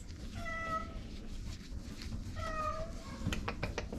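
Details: Shelter cat indoors giving two clear, short meows about two seconds apart, each level and slightly nasal, over a low background rumble with faint clicks near the end.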